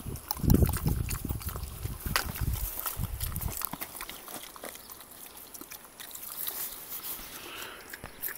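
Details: An 80 kg pig–wild boar hybrid gives deep, rough grunts in a quick burst, then falls quiet amid rustling.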